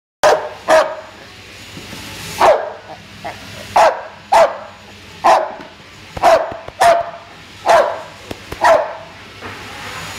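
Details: American Bulldog named Guvnor, a big strong dog shown at ABA shows, barking in sharp single and paired barks roughly every half second to a second, with a faint low hum behind.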